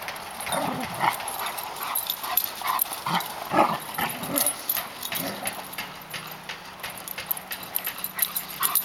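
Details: Two Labrador Retrievers at play, an exuberant 8-month-old Black Lab pup and a Yellow Lab that tells him off with growling; short rough growly bursts and huffs come in irregular clusters over faint background rustling.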